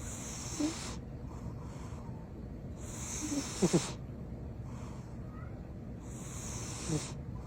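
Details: Loud snoring from a sleeping house cat called Butters: three airy, hissing breaths spaced about three seconds apart, one with a brief double rattle, in a calm indoor setting.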